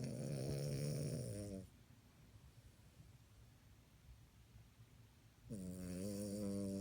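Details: A French Bulldog snores while sleeping, with deep, rattling, harmonic breaths separated by a quiet pause.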